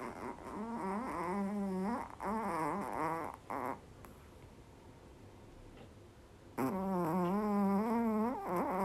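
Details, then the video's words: Dog snoring loudly enough to fill the whole house, indoors; drawn-out groaning snores with wavering pitch come in long bursts, then a quiet gap of about two seconds before another long snore resumes. "ХРАПИТ НА ВСЮ ХАТУ"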